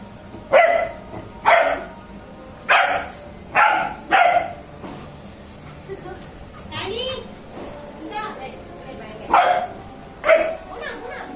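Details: Aanii, a Labrador Retriever, during the Diwali festival: loud, sharp barks in irregular pairs and singles, roughly every second or so, with a person talking in Tamil between them and a noisy background.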